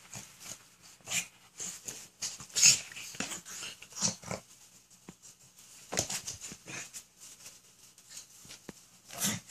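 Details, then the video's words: Two dogs, Boomer the Pug and Zoe the Mini Aussie, play fighting on a new bed indoors: short scattered snorts, huffs and breathy growling bursts, loudest near three seconds, with rustling of bedding between them. "Pug and Mini Aussie play fight."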